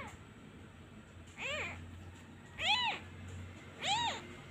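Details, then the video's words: Abandoned young cat missing its mother, crying as the hand is removed: three thin, rising-then-falling mews about 1.2 seconds apart, the first softer, over a low background hum. "He cries everytime I removed my hand. He really miss his mother."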